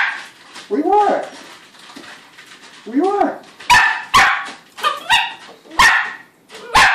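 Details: Lakota, a young female AKC-registered Shetland Sheepdog, barks at feeding time while a person speaks in a rising, sing-song tone; several loud sharp barks follow the talking.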